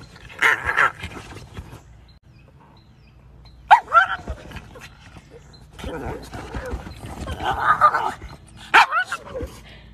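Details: Pug dog heard in a cute pug compilation: two sharp, high yips rise out of the mix near the fourth and ninth seconds, with softer whining sounds between them and human voices talking around them.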